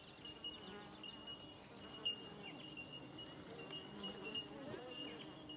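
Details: Australian native bees at their hive in Australia, a swarm of many insects giving a dense, low, wavering buzz with darting flight notes, while a thin steady high tone runs unbroken underneath.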